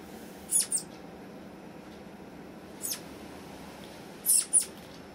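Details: Pet flying squirrel kept with others, calling out at small noises that startle it while the rest freeze: a few very high, thin, brief squeaky chirps, often in quick pairs, separated by pauses of one to two seconds over a quiet room.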